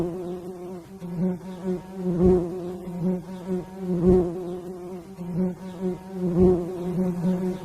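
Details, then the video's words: Bees buzzing in a continuous low, nasal drone with stacked overtones, swelling in loud pulses roughly every two seconds. "zumbido de abelha"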